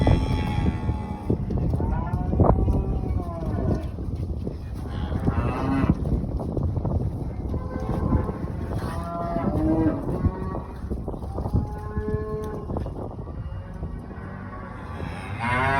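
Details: Limousin cross British Blue show heifer, 14 months old and 534 kg, giving several short lowing moos over heavy rumbling background noise and clatter throughout.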